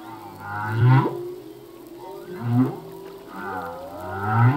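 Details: Male humpback whale singing, song that changes each year: deep low moans and grunts with upward-sweeping tones repeat about every one and a half seconds over a hissing underwater background.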